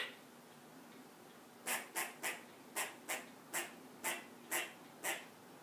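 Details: Alarmed squirrel on a perch in a yard where a cat has entered: after a quiet opening, a run of nine short, harsh, broadband chuck notes at an uneven rate of about two per second.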